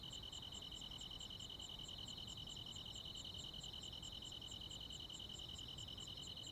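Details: ['Countryside crickets singing with other insects on a summer night, a continuous shrill buzzing band topped by evenly spaced high ticks, roughly two and a half per second, with faint low background noise.']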